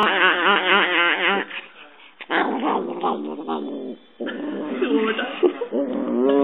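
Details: Pet dog described as very friendly and cuddly, loving hugs and kisses, giving wavering, yodel-like whining howls in bursts, breaking off for brief pauses before resuming with quivering, rising and falling tones.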